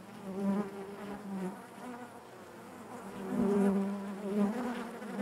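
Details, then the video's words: Many honey bees hum within the hive, a thick steady drone with layered overtones that grows fuller and louder in the second half, wavering gently in pitch as bees move about. "bees therapy hive natural buzzing sound"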